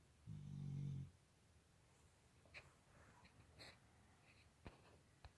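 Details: Labrador snoring in its sleep indoors: a single deep, rumbling snore of under a second opens the clip, followed by faint clicks and small rustling noises.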